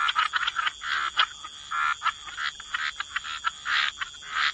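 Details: Frogs calling by the water in a wetland setting: quick clicking, rattling croaks come in irregular bursts, some clipped and sharp, others drawn out into short buzzy trills, layered over a steady faint high tone.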